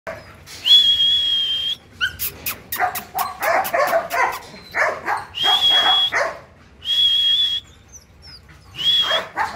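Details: Working-line Belgian Malinois puppies at Warangal; high thin whistling whines held about a second, alternating with bursts of rapid sharp yelps and barks, repeated through the recording.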